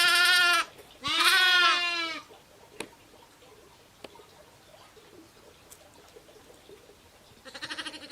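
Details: Bleating from a flock of ewes and lambs: two close calls in the opening two seconds, a long quiet stretch with a few clicks, then a softer fluttering bleat at the end.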